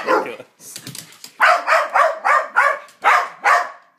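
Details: Playing dogs Psyche and Harvey make strange noises at each other: after a low growly opening, a steady run of about seven sharp, evenly spaced barks, roughly three per second.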